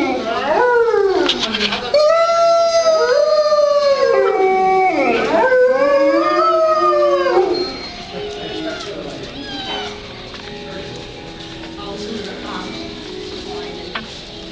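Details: Wolves at Merle Hay Mall give arched, wavering howls that rise and fall in quick repeated swoops for about seven seconds, then fade to quieter, steadier distant tones over a background hum.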